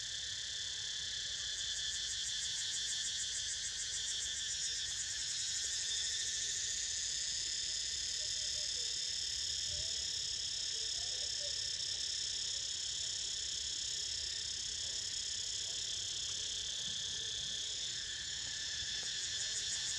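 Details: A chorus of cicadas makes a dense, shrill, sizzling electric drone, unbroken from start to finish and rising and falling only slightly in intensity, while a pet named Niko snoozes; no other clear sounds.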